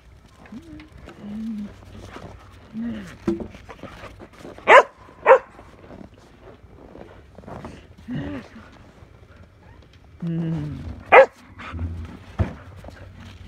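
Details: Merlin, a pet Shetland sheepdog, playing with a shovel; a few sharp single barks around the middle and again near the end, separated by a woman's coaxing speech and harmonic vocal sounds.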